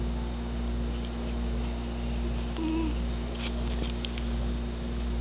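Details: A cat snoring loudly: a low, rumbling drone that swells and fades in a steady rhythm, with a brief high squeak near the middle and faint clicks over a constant electrical hum.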